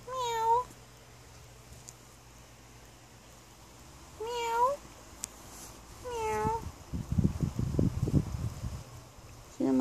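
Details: Newly adopted stray kitten, female, found outside; repeated plaintive meows every few seconds, each bending up then down, with a woman talking in between and a final meow at the end.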